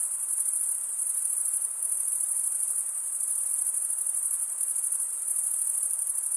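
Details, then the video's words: Chorus of chirping crickets, the wing-rubbing stridulation heard as an unbroken high, thin trill with a faint pulsing texture, holding a constant level throughout; nothing else is audible. "cricket sound"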